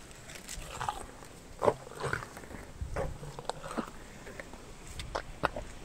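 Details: Meri the elephant chewing sugarcane: irregular crisp snaps and crunches every half second or so, separated by quieter grinding and rustle.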